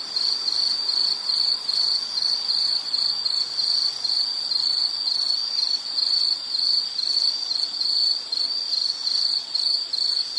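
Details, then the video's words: Shrill, even insect trill in repeated short pulses, around two per second, steady and unbroken throughout, over a quiet background. "Sound · Nature Sound of nature sounds scenery L · insect"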